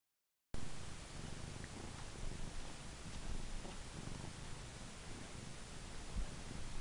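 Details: Christmas, a pet female cat, purring while playing with her purple toy mouse, her favourite. A low, rumbling, continuous purr runs steadily through the clip, with soft rustling over it.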